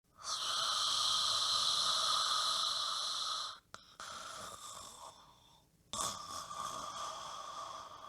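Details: Sleeping dog in deep sleep snoring loudly close to a microphone: a sustained whistling, wheezy tone for about three seconds, then quieter breathy snores broken by short pauses, and a fresh loud wheeze near the end.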